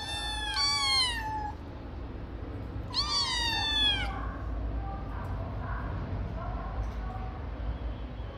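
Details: Kittens give high, thin meows that slide downward, in two clusters of several cries each, then quieter mews trail off over a soft background hum.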